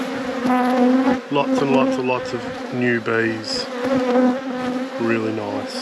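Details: Honey bees in an apiary during a hive inspection: a steady, low droning hum with a clear buzzing overtone, overlaid by changing, stepped tonal sounds that may be a voice or other noise.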